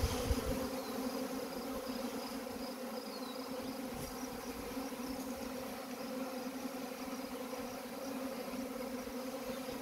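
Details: Honey bee swarm during collection, a continuous low droning hum of many bees with stacked buzzing tones holding steady throughout.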